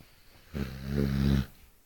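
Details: Eight-month-old Cane Corso bitch asleep and snoring heavily, one drawn-out guttural snore close to a second long, low and vibrating with a slight growl-like rasp, quiet room before and after.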